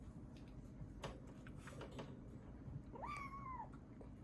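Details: Rescued kitten Ame, estimated 3 to 7 weeks old, found in heavy rain in Osaka in August 2021; one short rising-then-level meow near the end, otherwise faint indoor background rumble and small clicks.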